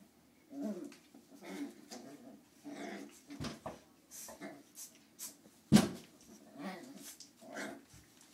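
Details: Nine-week-old Lhasa Apso puppies playing together give small growls and whimpers in short bursts, with occasional sharp clatters.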